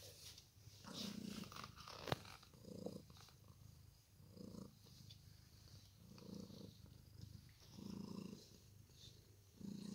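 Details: Two Ragdoll cats, blue point, resting indoors on a lazy day; steady low purring in regular swells roughly every one to two seconds, with a faint click and quiet room noise.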